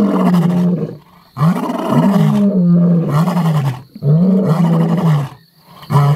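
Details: Male lions of the Mapogo roaring: long, deep, moaning roars that swell and hold steady, three drawn-out bouts separated by brief pauses.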